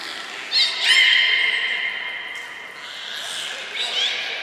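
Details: Captive belugas Hodoi, Taanya and Mirai during a training session at Nagoya Port Aquarium, Japan, on 1 November 2020. A brief rising whistle, then a sustained harmonic, reedy tone that fades, with another thin whistle near the end, all in a reverberant space.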